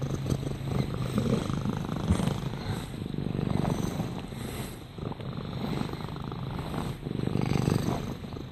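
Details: Soothing purr of a pet cat: continuous low vibrating drone with gentle rises and falls in loudness as it breathes in and out, against a soft hiss.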